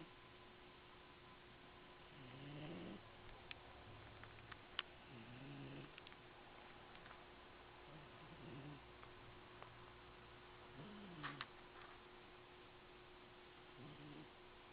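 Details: Cat snoring while asleep in a box indoors, recorded in 2008: soft low rasping breaths repeated about every three seconds, each a short rising-falling drone, with faint clicks and a steady hum.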